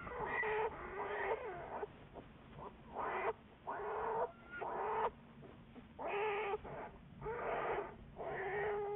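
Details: Juliet, an American black bear studied by the Wildlife Research Institute, recorded February 10, 2014: a series of harsh, harmonic bursts, each about half a second long, repeated with short pauses and a faint low hum underneath.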